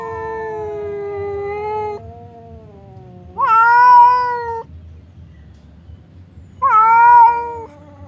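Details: Separated by a partition, the cats Temon and Lelo trade threats as if about to fight. A long, steady, low yowl gives way to two shorter, louder wails, each starting with a sharp upward jump and holding level.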